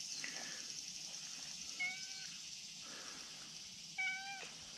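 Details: A brown tabby-and-white cat calling from a steep spot above a slope, wanting to be petted: two short, clear meows about two seconds apart, each a brief level tone, over a steady high-pitched hiss.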